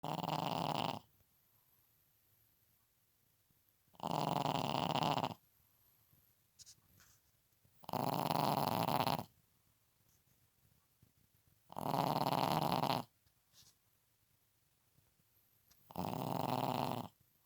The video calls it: Pekingese snoring